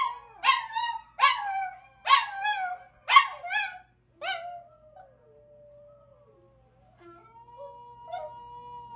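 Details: Small Chihuahua joining in after other dogs call: five quick sobbing yelp-howls under a second apart, then one longer sliding wail that fades, followed by quieter drawn-out tones near the end.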